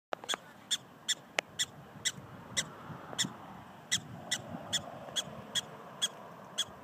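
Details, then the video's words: Prairie dogs in South Dakota yipping: short, sharp, high chirps repeated steadily about two to three times a second over a low background rumble. "Yipping Prairie Dogs"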